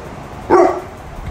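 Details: Labrador Retriever named Mr. Thor giving a single short bark, loud and abrupt with a harmonic burst lasting about a quarter second, over a quiet background.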